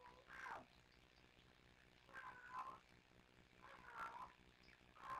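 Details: Kittens Sisko and Mila on a Tiny Kittens Society live cam, trilling and talking to each other: short harmonic chirps with quick upward bends, in three bursts about two seconds apart, over a faint steady background hum.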